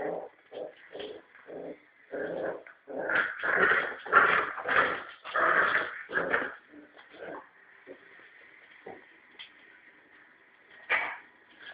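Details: A three-and-a-half-month-old male Norfolk terrier puppy tussles with a ball on a rope, showing what he would do to a rat: rapid, rasping play growls in pulsing bursts that build to a loud snarling run, then fade into softer grumbles and a final sharp note.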